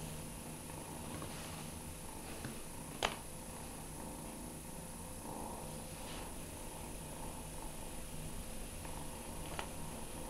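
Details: Fearghal, a shy foster kitten once living on the street by a McDonald's, purrs low and continuously while playing four days after being caught, with a sharp tap near three seconds and scattered soft rustles indoors.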